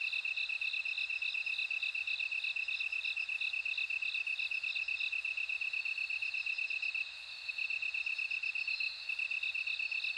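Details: Bell crickets singing together, a continuous shrill pulsed trill underneath a brighter, tinkling row of evenly spaced ringing notes, with a brief dip in loudness near the seven-second mark.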